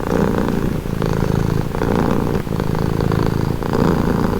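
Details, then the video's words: Close, loud purring from a domestic cat, a vibrating low hum broken into rhythmic breaths roughly every 0.8 seconds. "Purring cat"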